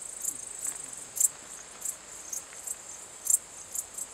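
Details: Calling song of a male Pholidoptera transsylvanica at Cosia, Romania, on 14 July 2013: brief shrill chirps spaced about half a second apart, some louder pulses, quiet background otherwise.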